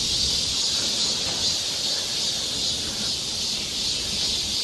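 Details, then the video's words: Massed cicadas in the woods of Galsan Park, Seoul, during midsummer: an unbroken, hissing high-pitched drone with gentle waves in loudness and no distinct individual phrases. "매미울음소리. 한여름의 청량제와 같은 천사들의 찬가. 갈산공원 매미들 숲속의 합창"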